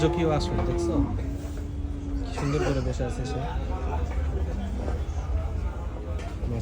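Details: Huge Indian bullocks at the Gabtoli cattle market: a low, steady, drawn-out moo with layered harmonics in the first two seconds, then loud people talking and crowd bustle filling the rest of the recording.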